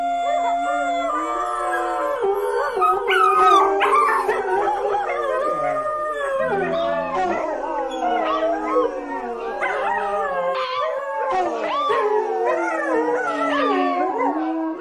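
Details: Dogs howling together in a dense, continuous chorus of long wavering wails, voices rising and falling over one another with occasional short yips and whimpering breaks, a low steady tone underneath, no pauses.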